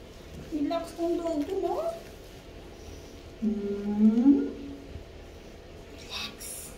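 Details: Boston Terrier at bath time, disliking the bath, giving two drawn-out moaning grumbles with wavering, rising pitch, the second longer and louder, in a small indoor room with a faint background hum.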